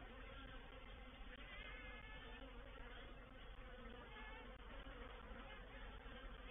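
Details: Honey bees of a reproductive swarm moving into a bait hive at Painted Peacock Manor, 04/07/21, make a constant low hum with faint wavering overtones as individual bees fly nearer and farther.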